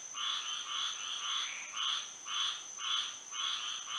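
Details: Florida frogs calling at night in moonlight, a steady rhythm of harsh, buzzy croaks rising and falling in loudness roughly twice per second, a faint continuous high-pitched drone beneath them.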